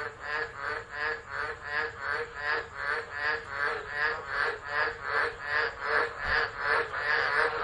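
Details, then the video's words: Frogs in full chorus during a tropical low at Driver, Northern Territory, Australia, 13 December 2013, recorded on a phone; loud, steady, rapidly repeated raspy croaks, several callers overlapping in a regular pulsing rhythm. "Tropical Storm Frogs Singing"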